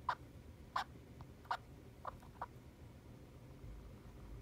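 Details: A pet hamster utters an unusual quick run of short, bright 'kyu-kyu' squeaks, some sharper and some softer, spaced unevenly over about two seconds, then falls quiet; a low indoor hum continues faintly underneath.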